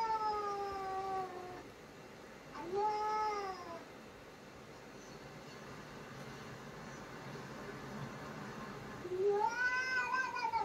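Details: House cat that loves playing with his toy gives three drawn-out, whining meows, the first long and falling, the second rising then falling, the last rising, with quiet gaps between.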